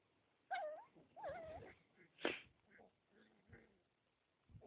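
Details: Husky puppies whining with wavering, tonal yelps and whimpers in short bursts, one louder broadband squeal in the middle, quieter grunting sounds between.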